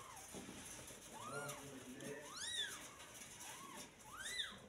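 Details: Day-old newborn kitten crying in short arched squeaks, roughly five high mews rising and dropping in pitch, spaced unevenly, with a soft steady background hum underneath.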